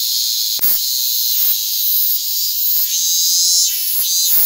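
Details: Japanese cicada, Hyalessa maculaticollis fuscata, perched on a person's hand on August 8, 2022, producing a steady, shrill, high-pitched buzz that runs the whole time, broken by a few sharp clicks of handling noise.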